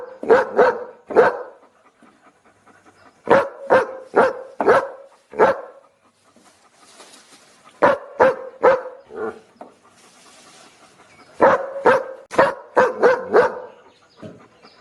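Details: Looped dog barking, sharp repeated barks in clusters of three to six, separated by pauses of one to three seconds with faint breathy noise and soft whimper-like sounds between bursts.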